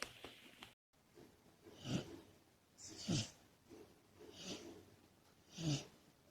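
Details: Komachi, a sleeping female Labrador Retriever puppy, breathes in soft, raspy, low snorts repeated roughly every second. The snorts are quiet and breathy, with faint background hiss.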